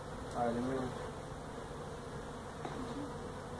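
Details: Honey bees from a feral hive built inside a tractor tire at a citrus orchard in Mission, Texas, during removal of the colony; continuous low buzzing drone, with a brief louder swell near the start.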